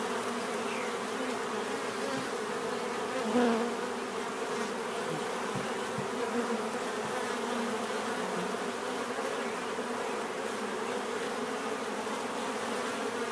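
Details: Bees buzzing in a steady, dense drone with a low hum band and a brief louder pass near the middle; continuous insect hum throughout.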